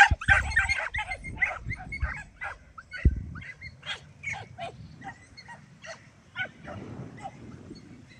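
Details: A young Podenco Andaluz among four young podencos, the lead dog nose-up at speed followed by the pups, gives rapid, high, yelping barks, several a second, while trailing a rabbit.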